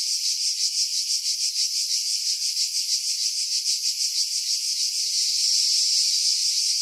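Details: July 2018 cicada chorus from pines above Pefkos Bay on Skiros, Greece: shrill, continuous sizzling drone throbbing in quick regular pulses, growing slightly louder and smoother in the last second and a half. Wind noise removed by filtering.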